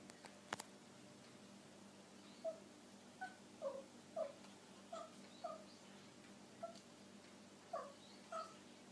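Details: Male Abyssinian kitten, five months old, that never meows, making soft 'kupo kupo' chirps in reaction to birds outside a window: about a dozen short clicking chirps, spaced roughly half a second apart in loose clusters, in a quiet room.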